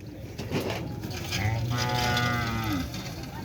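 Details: Small cattle lowing at a gathering event: a drawn-out, low moo lasting about a second and a half, with people talking nearby.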